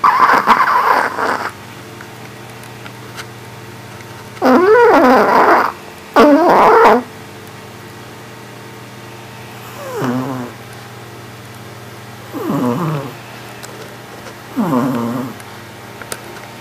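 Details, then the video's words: Sleeping Yorkshire Terrier snoring, a series of rough, rasping breaths in bursts about every two seconds, some louder and buzzier, others softer, with quiet pauses between. "約克夏 睡覺打呼"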